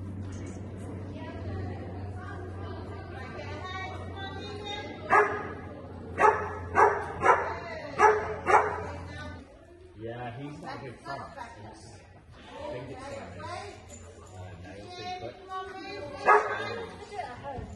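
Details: Dog during Thursday night agility training, giving a quick run of five or six sharp barks roughly one a second, amid background music, a steady low hum and people talking, followed by one more bark near the end.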